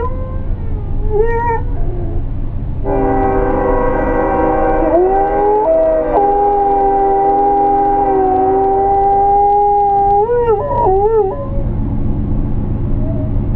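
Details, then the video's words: George, a German Shepherd mix, singing along when he hears a train: wavering, rising-and-falling howls at the start and end, and mid-clip, over a loud, steady, multi-toned train horn chord lasting about seven seconds, with low rumble throughout. "George The German Sheppard singing I hear that train a coming"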